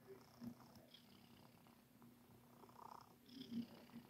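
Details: Domestic cat purring while kneading, making biscuits; a soft, low steady rumble runs through the short stretch, with a few faint rustles and light touches audible indoors.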